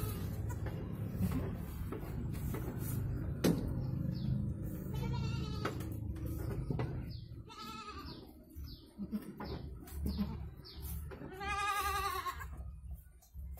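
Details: Goat in Indonesia, recorded while giving birth to two kids: several separate quavering bleats in the second half, the last long and loud, with thin high downward chirps scattered between them and rumble throughout.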